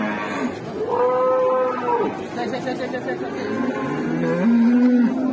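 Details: Cattle at a crowded market in Indonesia, scene of a rampaging cow: two long, steady moos, the first held for about a second and the second lower and rising, over a background hum of voices.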